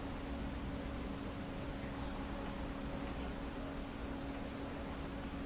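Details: A softer cricket chirps in short, high pulses about three times a second, with a brief pause near the start, over a noisier background hum.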